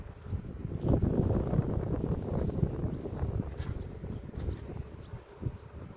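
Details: Honey bees at a beekeeper's hive in a village near Ceyhan, heard during a queen check after the honey harvest: a dense, low, continuous buzzing hum, swelling and easing, with rustling handling noise.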